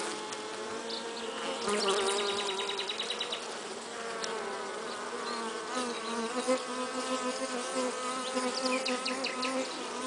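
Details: Western honey bee carrying pollen: a steady, low droning buzz with rich overtones that wavers slightly in pitch and loudness throughout, while faint high chirps and ticks sound in the background.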